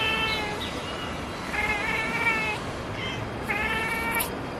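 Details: A black and white cat gives short, clipped chirping meows in quick bursts at a distant pigeon it has spotted, with a high, thin twittering sound near the end and a steady background hiss.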